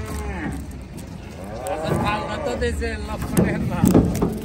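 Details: A cow unloaded at Gabtoli market, Bangladesh, gives an arching, throaty moo that climbs then slides down, with bystanders talking loudly around it.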